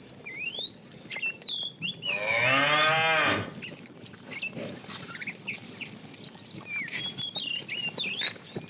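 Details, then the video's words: Tame herd cow, described as fat, calling the female during afternoon herding; one bellowing moo of over a second amid steady busy chirping and whistling from birds. "The funny sound of a fat cow calling the female"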